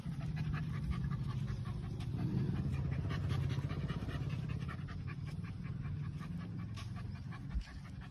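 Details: Labrador Retriever named Lucky meeting new friends, panting in fast rapid breaths for most of the stretch, a steady rhythmic huffing with no voices over it.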